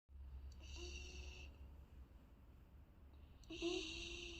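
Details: Trixie, a three-month-old Golden Retriever puppy, snoring in her sleep: two thin, whistling, wheezy breaths about three seconds apart, each lasting under a second, over a low steady indoor hum.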